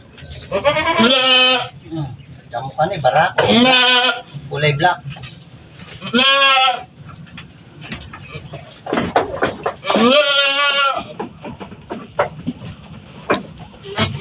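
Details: Goat giving birth on a farm, two kids delivered one after another; four loud, quavering bleats roughly every three seconds, each about half a second long, with people talking and rustling in the gaps.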